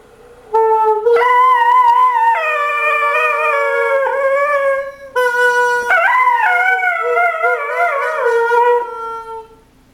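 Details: Dog 'talking' in drawn-out, tone-like howls with a slight tremble, starting suddenly, holding a steady pitch, breaking once, then resuming with a warbling rise and falling away.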